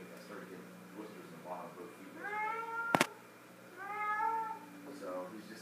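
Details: Indoor pet cat folding her sock toy gives two clear drawn-out meows about two seconds apart, the first level, the second falling; a sharp click sounds between them over a constant low room hum.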